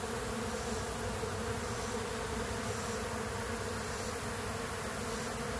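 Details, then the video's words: Stronger honey bee colony robbing a weaker, queenless one; loud unbroken buzzing of a crowd of bees, even and droning for the whole stretch. "Honey Bee Colony Being Robbed"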